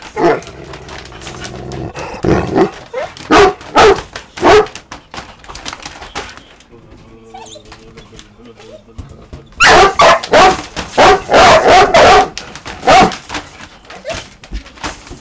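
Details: Pet dog barking at a balloon, recorded 14 August 2023: loud, sharp barks in irregular bursts, heaviest in the second half, mixed with a person talking and faint music.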